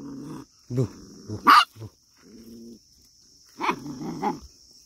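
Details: Scared puppy facing sheep lets out a few short yelping barks and low growly grumbles with pauses between, ending with two more barks; faint steady high-pitched whine in the background.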